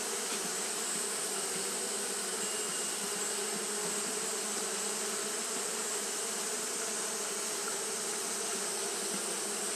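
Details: Continuous low humming drone from Japanese honey bees fanning throughout a hot day, level and unvarying, accompanied by a steady sharp background hiss.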